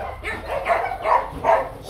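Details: Rottweiler barking at the Gervi breeding kennel, home of young male stud Nano, who is finishing his coat shedding; three hoarse, mid-pitched barks spaced about every 0.4 seconds.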